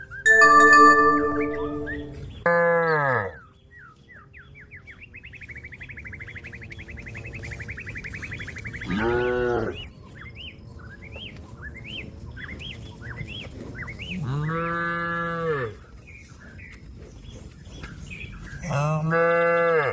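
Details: Cattle calling a companion grazing on grass to come home to the barn: four loud, deep, drawn-out moos, each about a second long, separated by pauses filled with chirping and trilling small birds.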